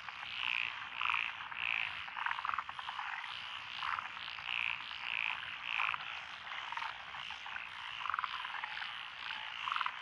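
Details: Frogs calling in lotus rice paddies beside a rural road in Echizen, Fukui, Japan, 12 June 2021, species including tree frogs and Schlegel's green tree frogs; rhythmic bursts of rapid croaks recur roughly every half second over a dense background chorus.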